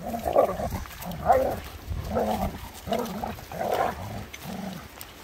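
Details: German Shepherds Nico and Zeeva at play on a sunny day in Hawick, Scottish Borders: a steady run of throaty growl-grumbles, about one a second, each a short harmonic rumble, with faint outdoor hiss behind.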